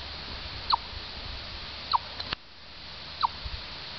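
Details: A chipmunk at Orr, Minnesota utters three bright, quick chips, each sliding slightly downward, spaced about 1.2 seconds apart against faint steady background noise and one soft click.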